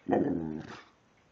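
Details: Female pet dog Precious, talkative at home, gives one short harmonic moaning vocalization lasting under a second, then quiet room tone.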